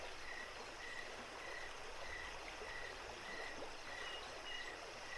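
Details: Crickets chirping at night along a running creek at Jacobs Creek: faint, regular high chirps with a couple of slightly higher notes near the end, set against continuous trickling water.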